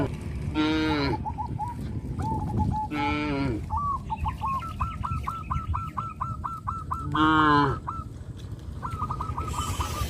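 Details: Cattle on a traditional village farm, taken to rice fields after harvest, give three brief, strained moos spaced a few seconds apart. A bird's quick repeated chirping series runs through the gaps over rural background noise.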